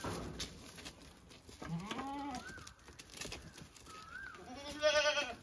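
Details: Domestic goats kept as the family's own animals bleat twice, each call a wavering, nasal, harmonic-rich cry rising then falling, about a second long and three seconds apart, with faint whistled chirps and soft rustling behind.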